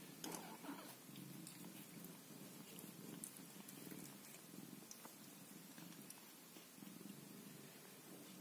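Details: Purring from a Scottish Fold cat caring for her kittens indoors: a continuous low rumble that swells and eases in slow cycles, with light rustles and faint ticking noises above.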